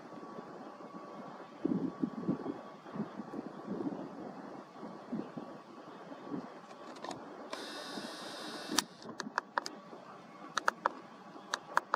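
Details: Low mechanical rumble and handling noise, a brief loud hiss partway through, and scattered sharp clicks; no animal calls.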